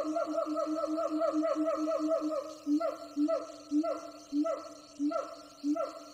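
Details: Wild siamang gibbons, several troops heard from a distance on a jungle hike. A quick chain of hooting notes gives way to slower, louder barks with a sharp rise and fall, spaced about half a second apart.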